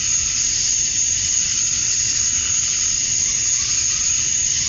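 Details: Cicadas at dusk on a Georgia summer night, the males chirping to attract females, give a constant shrill, sizzling drone high in pitch with a steady piercing tone riding above, never easing.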